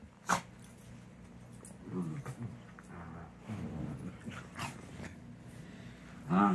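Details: Sadie and Leia, two dogs at play inside, trade rough low growls in uneven bursts, with a sharp thump near the start and a louder growling flare at the end over background hum.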